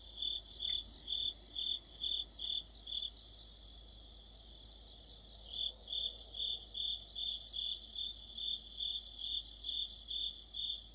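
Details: Autumn crickets chorusing with other insects: regular pulsed chirps that soften briefly mid-way, then resume strongly, with high overlapping trills and a soft low background hum throughout.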